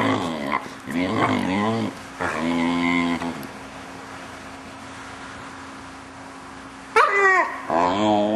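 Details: Six-month-old Vizsla puppy indoors making weird noises while its owners play with it: drawn-out wavering whines and moans in bursts of one to two seconds, a long quiet gap, then a sharp yelp-like whine.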